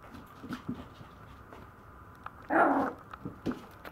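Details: Maltese puppy giving one short, loud, yelp-like burst in the middle, preceded and followed by soft snuffling and light breathy sounds, with no other clear background noise.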